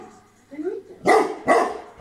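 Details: Tibetan Mastiff named Bagira in Greece giving two loud, deep barks about half a second apart, preceded by a softer low whine-like sound.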